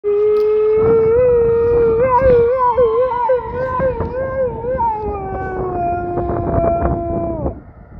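A Siberian husky gives a long, wavering howl that echoes the rise and fall of an ambulance siren.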